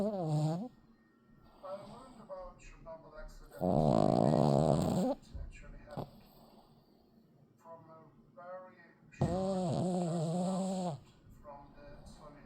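A Boston Terrier snores in two long, loud, rattling breaths, with people talking softly in between.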